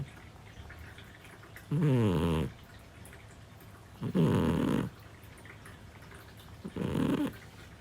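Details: Sleeping Scottish Fold cat Parfe, a 7-year-old female, gives three rhythmic throaty snores, each under a second long and spaced roughly two to two and a half seconds apart, in a quiet indoor room.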